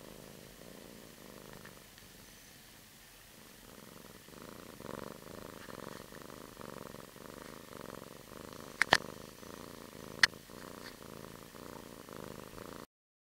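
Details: Freshly woken kitten purring in its bed, a quiet, even, low vibrating purr that swells a little after four seconds, with two brief sharp clicks near the end.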